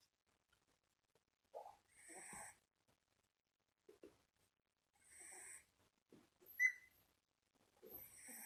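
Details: One-month-old Shiba Inu puppy asleep, snoring in soft, airy, wheezy breaths with a faint whistling edge, each lasting under a second and returning about every three to four seconds, with quiet gaps between.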